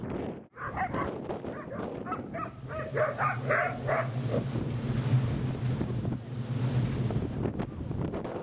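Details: Two dogs, Rosy and Rocky, at play in Seal Point Dog Park on the western side of San Francisco Bay on a windy December 30, 2014; rapid bursts of barks and yips over the first half, then steady low rumble of wind.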